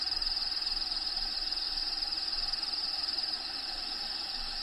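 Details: Crickets calling inside a vivarium housing a bearded dragon, background habitat sounds playing: a rapid pulsing high trill for about three and a half seconds, then it drops away, leaving a soft hiss.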